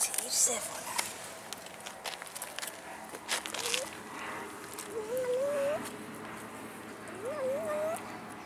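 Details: Abandoned cats in a city park begging for food, with a few rising, drawn-out meows against people talking, footsteps and outdoor background.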